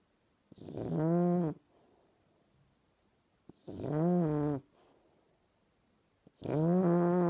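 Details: English Bulldog puppy named Dobi snoring while asleep: three loud, harmonic, rasping snores about a second long each, spaced roughly every three seconds, with quiet breathing between them.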